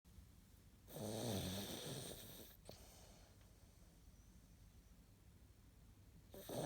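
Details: Sleeping cat snoring indoors, recorded 11 April 2017: one long rough, breathy snore lasting about a second and a half, low rumbling underneath, then quiet breathing and the start of another snore at the end.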